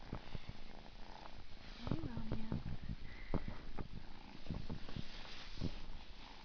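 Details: Three-month-old male rescue kitten named Meo, from the Orphan Kitten Project of the UC Davis School of Veterinary Medicine, on his first night in a new home indoors; steady low rumbling purr under soft human talk and light taps.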